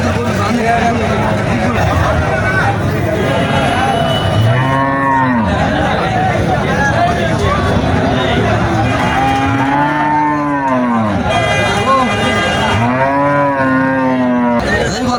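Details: Three strong arched moos from Sahiwal cattle at the Moynamoti cattle market, Cumilla, Bangladesh, spaced roughly three seconds apart in the second half, rising and falling in pitch, over continuous crowd babble and some traffic.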